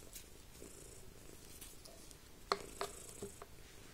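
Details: Indoors, a pet cat purrs with a soft, low, pulsing rumble beneath light chalkboard scratching, with a few brief sharp chirps from parrots partway through.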